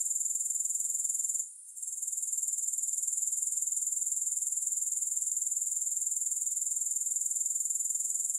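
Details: Grasshoppers give a bright, rapidly pulsed trill, about four pulses a second, pausing for a moment early on, then continuing evenly.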